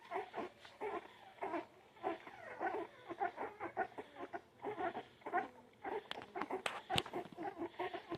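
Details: Several puppies whining and squeaking in busy, overlapping bursts, faint and uneven, with some sharp clicks near the end.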